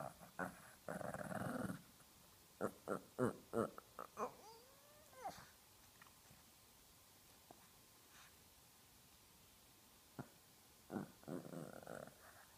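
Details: A foster Shih Tzu growls indoors, wanting a cat to move off its owner's lap. Rough, noisy growl bursts open and close the recording, with short sharp clicks and a brief wavering whine in between.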